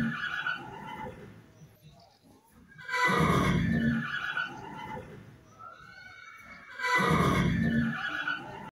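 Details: A horse neighs with a wavering, harmonic whinny, broken by loud, breathy snorts.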